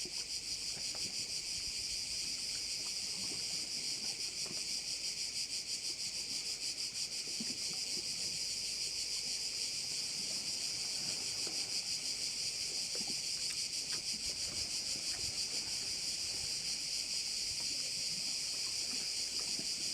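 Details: Crickets massed around a bay on Korčula produce a loud, constant, high-pitched buzzing chorus, finely pulsed at about three beats a second and barely varying for twenty seconds; very little else is heard.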